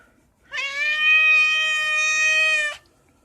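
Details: Domestic cat making a noise while being scratched: one long, steady, loud meow lasting about two seconds, harmonic and unwavering in pitch, in a quiet indoor setting.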